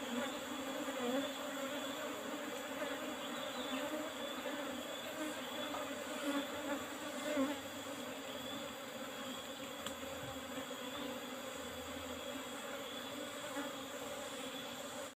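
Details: Honey harvest from Apis cerana colony kept in an old wooden box hive, Asian honey bees droning continuously; an even, layered buzzing hum holding steady for the whole stretch, with faint clicks and handling noises now and then.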